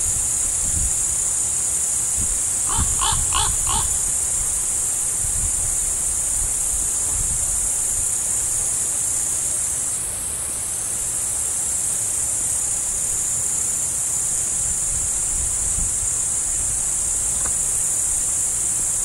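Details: Chirping crickets with a deer about, a sustained high insect hum, interrupted early by a quick run of four harsh caw-like calls, then continuing steadily to the end.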